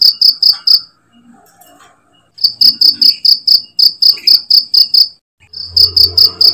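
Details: Cricket used as a master sound to train songbirds: bursts of rapid, bright chirps broken by short silences, each run of pulses about two per second, with a brief low rumble near the end.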